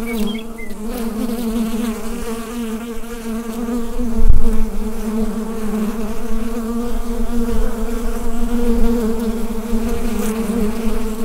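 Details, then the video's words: Bees inside a hive, captured on a Rode NT-USB microphone: a dense, steady low drone with a strong hum band and overtones, swelling gently. A single sharp knock cuts through midway, and faint brief chirps appear near the start. "Bee Hive Sound Effect"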